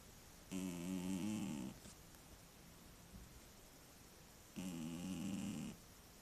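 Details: Cat called Mityusha snoring in its sleep at home, captured with a tablet; two drawn-out, throaty, vibrating snore breaths about four seconds apart, with soft room noise and a brief rustle between them.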